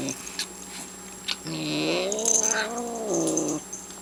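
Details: Domestic cat growls while eating, irritated by a second cat pestering her: a quiet start, then one loud, harmonically rich moaning growl that swells and bends upward midway before fading after about two seconds.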